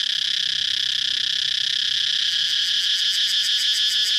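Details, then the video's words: A cicada's constant high buzzing; about halfway through, the sound takes on a quick, regular throbbing pulse that grows stronger toward the end. "cicada chirping sound"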